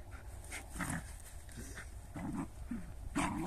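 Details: Jagdterrier and shepherd dogs heard at a distance: several short, low barks and yelps scattered over a few seconds, fairly faint against a rumbling background.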